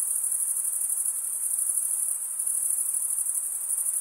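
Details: Stridulating male crickets produce a relentless high-pitched ringing trill, slightly pulsing in loudness, made by rubbing a wing edge across the comb-like teeth of the other wing. Nothing else is heard.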